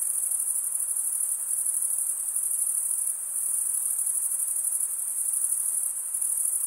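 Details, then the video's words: Steady chorus of crickets: a thin, piercing, very high trill running without pause, slightly pulsed, with a brief dip in loudness near the middle and nothing else audible. "Most relaxing cricket sound for 8 hours"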